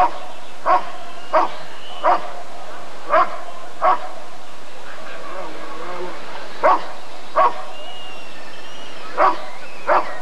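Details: Rottweiler barking at the 1994 ADRK breed survey (Körung): short, gruff barks in uneven runs, with a brief pause mid-way and faint voices and a thin whistle-like tone in the background.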